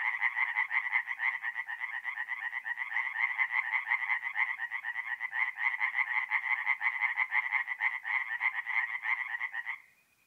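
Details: Tree frogs calling by night at a forest pond, mid-April in north-east Italy; long bout of rapid, regular rasping croaks from several animals, ending abruptly near the close, leaving quiet.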